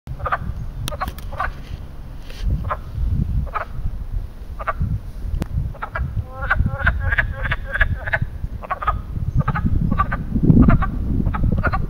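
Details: Frogs at a small man-made pond in Western Pennsylvania in spring, giving mating calls: short stacked croaks in scattered bursts, some quick rattling runs near the middle, over a low rumbling background.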